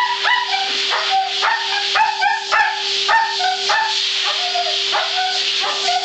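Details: Freya, a Siberian husky at the groomers, reacting to the blow-dryer: wavering, yodelling howls and whines that bend up and down, one every second or so, over a steady loud roar of the dryer.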